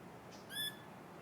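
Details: Feral Pallas's squirrel on a tree branch in a community forest near Kamakura and southern Yokohama, where the species is widespread in the wild; one short, bright harmonic note rings out mid-clip over a quiet forest background.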